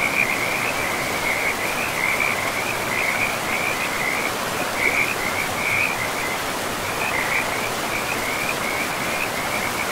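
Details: Frogs by a forest river among moss-covered land, giving a continuous pulsing, rattling chorus at fairly high pitch throughout, set against the constant broadband hiss of rushing water.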